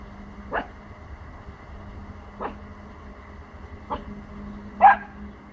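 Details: Pomsky puppy, four months old, barking at sounds from the neighbours' house to protect his territory; four single short barks spaced one to two seconds apart, the last loudest, over a constant low hum.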